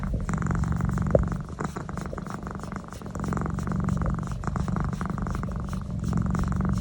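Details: Domestic cat named Naz purring while receiving a neck massage indoors; a steady, continuous low rumble with rapid pulsing throughout, brief faint clicks and rustles over it.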